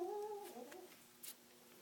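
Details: Little kitten rescued from the middle of the road, its voice lost or clogged, lets out one short tonal meow of under a second, steady then slightly falling, thin and quiet against a hushed indoor background.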